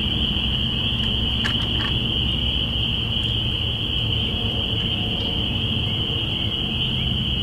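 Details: Spring peeper chorus at the beginning of spring, recorded binaurally April 05, 2017: an unbroken high-pitched shimmer of overlapping peeps, a few brief clicks near the start, and steady low rumble below.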